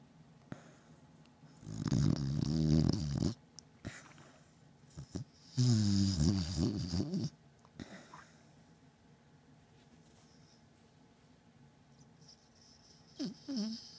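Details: Beagle Batman snoring loudly in deep sleep: two long rumbling, rattling snores a few seconds apart with wavering low tones, quiet breaths between, and a brief soft snort near the end.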